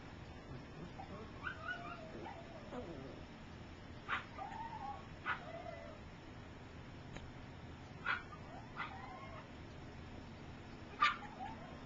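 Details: Three-week-old puppies learning to walk, some still sleeping; faint high squeaks and whimpers recur every few seconds over steady background hiss.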